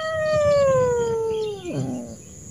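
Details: Angry, frightened wild street cat being approached slowly gives one long, loud wailing meow that slides gradually downward, then drops and breaks into a rougher lower tail, with a faint hum behind.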